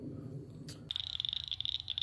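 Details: Little cricket frogs calling outdoors: a rapid series of high, clicking pulses starts after a second of low background rumble and continues steadily.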